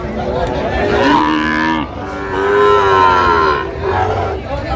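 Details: Sahiwal bull at a busy cattle market in Fulbari on 27 June 2025, giving loud, sustained moos that rise and bend in pitch, back to back with a short pause, with people talking behind.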